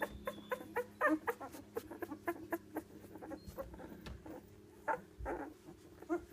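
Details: One-week-old British Labrador puppies from a litter of five black pups, four females and one male, born December 23, 2013, give rapid little squeaks, grunts and whimpers, roughly four a second and irregular, over a steady low hum.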